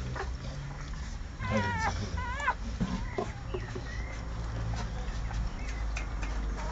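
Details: American Staffordshire Terrier puppies from Kira and Spike's litter, born 27 April 2008, give two short wavering, high whimpering whines in quick succession over a steady low rumble of background noise.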